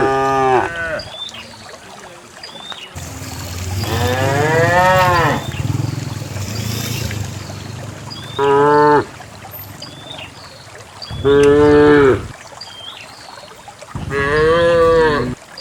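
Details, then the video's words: Dozens of cows moving calmly downhill from a lush hillside into a fertile valley; a long wavering moo followed by three shorter harmonic moos roughly every three seconds, with faint bird calls and brief rustling. "the cows descend the green hill, the sound of a cow"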